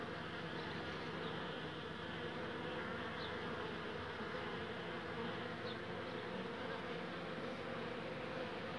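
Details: Steady, even droning hum from an exhausted old honey bee that reached the hive but could not enter after foraging. The tone stays level for the whole stretch, with a few faint high flickers.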